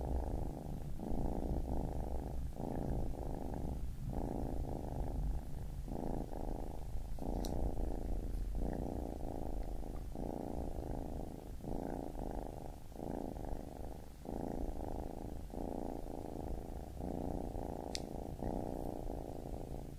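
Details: Kitten purring steadily, a low rumbling drone in rhythmic pulses of inhale and exhale about every second, with brief soft clicks now and then.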